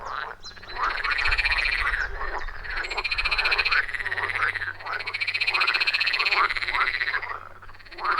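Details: Forest pond frogs in full chorus, recorded with an iPhone 14 Pro plus Shure MV88+: dense, fast rattling croaks layered with a continuous high trilling buzz, nearly unbroken, and a brief low rumble early on.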